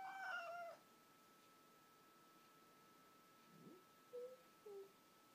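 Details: Indoors, pet cat Pipkin faces the neighbourhood's resident tomcat, wanting none of his approach: a loud, high, wavering meow with a falling tail opens, followed after a quiet pause by two short, faint mews.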